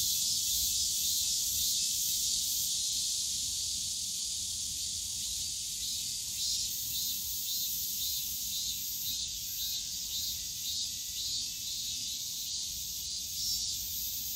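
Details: Summer cicada chorus from the bamboo forest at Yongsan Family Park: a loud, shrill, hissing drone that settles into a rhythmic pulsing, roughly two throbs per second, over quiet low background park noise.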